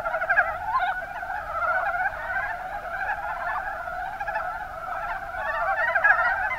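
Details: Mountain brown frogs in the Kuma Basin, Kumamoto Prefecture, Japan, calling as a dense chorus of overlapping low chuckling croaks that run without a break, with a few louder calls standing out near the start and end.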